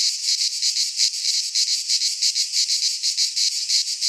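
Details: Midsummer cicada song from Greek pine woods: rasping, sizzling buzz beating in quick even pulses, about three each second, with nothing else audible.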